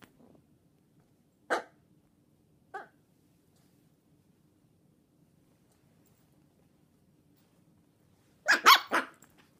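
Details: Chihuahua and long-haired Dachshund mix puppies, 10½ weeks old, give short, sharp yaps separated by quiet pauses.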